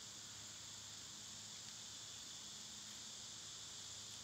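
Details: Summer cicada chorus: a continuous shrill buzzing wash that stays level and never pauses, with a soft low hum in the background.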